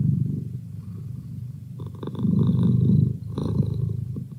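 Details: A male pet cat gives a low, rough purr that fades slightly, then swells louder for a second before easing again, a soft continuous rumble with no other sounds.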